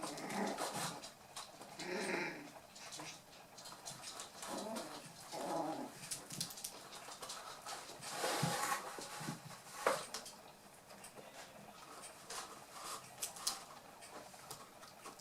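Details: Playful toy poodle puppies, eight weeks old and from Tami's final litter, with brief growly and whiny vocal bursts early on, then mostly scrabbling paws and clicking claws on the floor.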